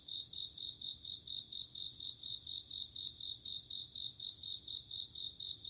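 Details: Autumn night chorus of bell crickets: rapid, bell-like pulsed trills in short ringing phrases separated by brief pauses, layered over a continuous high shimmering background of other insect calls.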